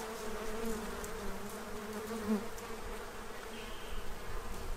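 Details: Central Illinois bees feeding ahead of winter: a dense, even drone of many wings, a low steady buzz that swells slightly midway, over soft outdoor noise.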